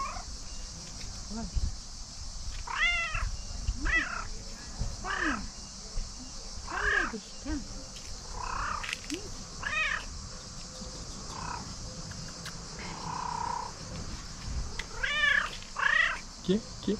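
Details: Pet cat by a tree, meowing and trilling as though wanting to tell something; a series of rising-falling harmonic meows spaced irregularly, with a faint steady hiss and low rumble underneath.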